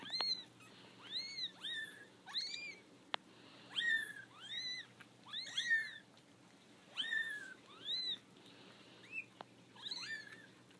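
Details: Litter of five four-week-old kittens, three female and two male, taken out of their basket and unhappy about it: repeated thin, high rising-and-falling mews, roughly one or two per second, several kittens overlapping, in a quiet room.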